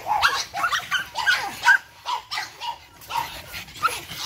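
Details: Charm's litter of Boston Terrier puppies at eight weeks old, energetic and playful, bark in short high yips about two or three each second, uneven in rhythm, several voices mixed together.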